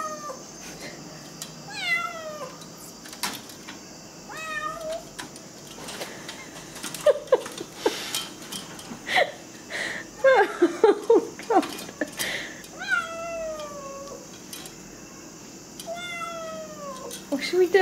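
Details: Wanting in at night, a house cat repeats bent, harmonic meows, about six of them, between rustling and tapping noises against a net, with a constant electrical hum.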